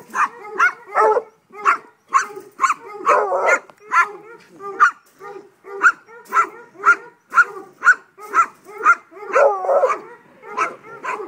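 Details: A rhythmic string of short, sharp barks comes about twice a second from Mojag, a five-month-old Treeing Walker Coonhound pup, with a few longer, rougher bawls mixed in and little else in the background.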